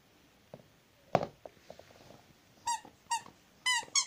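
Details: Zhenya, a domestic Rottweiler, gives short high squeaky whines in three quick bursts near the end, each sliding down slightly, after quiet room noise and a single thump.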